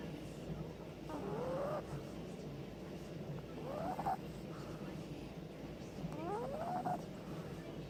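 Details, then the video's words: Sleeping Boston Terrier puppy lying on its owner, snoring with three rising, squeaky whistled breaths about every two and a half seconds, over soft low breathing in a quiet room. "Boston Terrier puppy snoring all over me"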